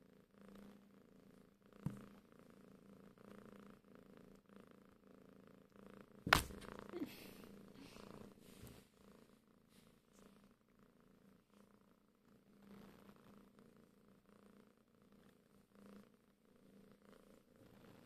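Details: Curious pet cat indoors: a soft, steady low purr runs throughout, broken by a sharp clatter and rustling near the middle.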